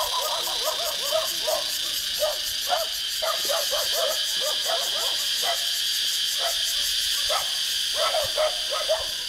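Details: A chorus of cicadas in Vietnamese trees makes a continuous high, hissing buzz with rapid regular pulses. Brief lower chirps break through intermittently beneath the drone.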